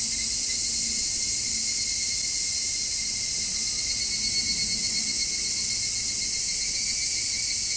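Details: Cicadas recorded with distant passing traffic mixed in, then cleaned with an equalizer to cut the noise. A continuous, even, high-pitched hissing drone holds steady throughout, with a thin steady tone beneath it.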